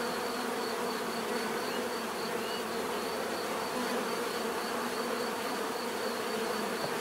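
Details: Continuous buzzing of many bees, an even, unbroken hum with layered low tones and a thin steady high whine, no other sounds standing out.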